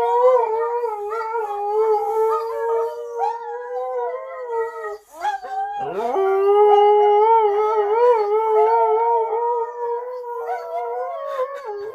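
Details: Female Siberian Husky crying along as she watches footage of another husky getting a bath; steady sustained howl held at one pitch, a brief break midway, then a sharp rising yelp into a long wavering cry.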